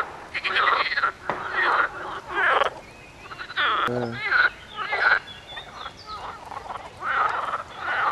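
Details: Frogs calling densely together, their rough, grating croaks coming in irregular bursts that overlap and crowd each other, with one brief, tonal, wavering note standing out midway.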